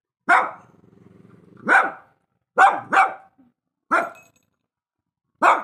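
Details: Shih Tzu giving a series of five short, sharp barks, a low rumbling growl running between the first two, then barks in a quick pair and two single barks spaced apart.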